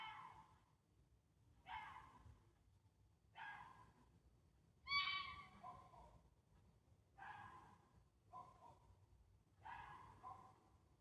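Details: A fox in Sheffield, UK, gives hoarse, harsh calls repeated roughly every one and a half seconds, recorded on 26 August 2024.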